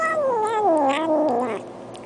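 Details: Cat giving one long drawn-out yowl that wavers and slowly falls in pitch over about one and a half seconds, then fades into low background hiss.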